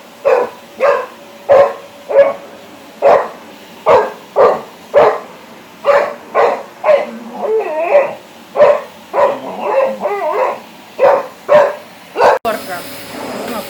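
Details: Flex, a Labrador Retriever, barks repeatedly at a running vacuum cleaner: some fifteen loud, clipped barks at a quick steady pace, a few softer whining, yelping sounds mixed in midway, ending in an abrupt cut.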